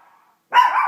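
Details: Female Chihuahua indoors, barking at animals and cartoons on a television; one loud, harsh bark lasting half a second follows faint TV sound.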